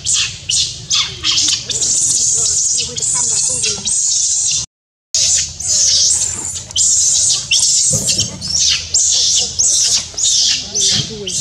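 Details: Baby monkey named Rainbow, angry and crying while other monkeys fight her: harsh, shrill screeches in rapid bursts, several per second, with a brief gap midway and low background rumble.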